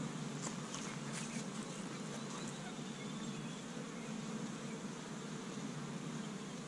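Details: Honey bees busy at an established hive in Michigan on the first warm day of spring, gathering pollen from tree buds; a steady low droning hum with faint overtones runs throughout, with a few light ticks and taps.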